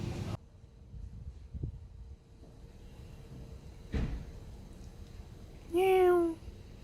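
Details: Stray neighbourhood cat filmed in 2019 on a Samsung Galaxy S9+, giving one short, bright meow near the end after several seconds of quiet background hum with a few knocks and thuds.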